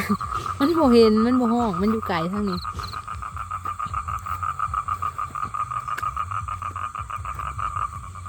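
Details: Male toad calling to attract females for mating: opening with wavering human voices, then a fast, even, pulsed trill at mid pitch continuing to the end.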